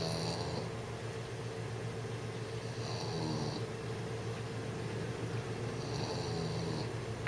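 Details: Jessie, a six-month-old English bulldog, snoring while trying to sleep: rough, breathy snores rising and fading roughly every three seconds over a steady low hum indoors.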